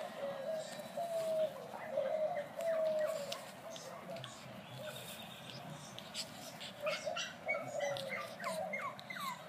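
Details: Brussels Griffon puppies giving thin, high whimpers and squeaks that slide downward, some drawn out and others short, in irregular bursts over a steady low hum.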